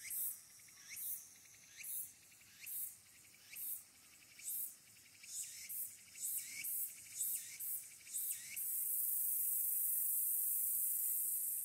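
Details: Smartphone recording of Walker's cicada from the Aburayama Kannon observation deck, Fukuoka City, Japan, 22 August 2022: rhythmic pulsed phrases, each ending in a rising buzz, speeding up, then giving way to a continuous high-pitched drone.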